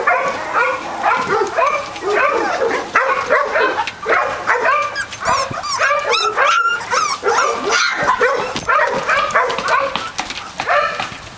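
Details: Three-week-old Catahoula Leopard Dog puppies of the Dixie and Beau Duke litter, a crowd of them yelping and whining together in dense overlapping squeals and high whistly cries, with scattered higher squeaks throughout.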